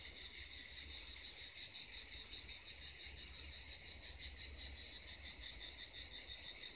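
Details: Cicadas near the Black Sea coast sing in a steady, shrill, high buzz with a faint pulsing throb.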